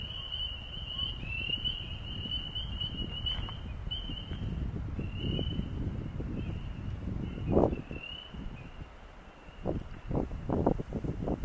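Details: Frogs on the Osgoode Link Pathway give a steady high trill throughout, with rumbling background noise and a few knocks.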